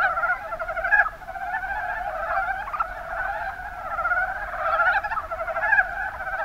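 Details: Chorus of mountain brown frogs (Rana ornativentris) from Kumamoto's Kuma Basin in Japan, a thick mass of rapid, rattling croaks layered over each other, with brief louder bursts standing out near the start and end.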